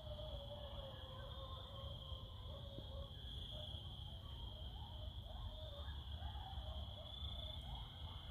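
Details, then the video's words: Coyotes heard at night in the distance from beside a fire: faint wavering, high-pitched howls and yips drift over a steady insect trill, with a low rumbling background throughout. "Listening to the Coyotes in the distance ...Scary!😮"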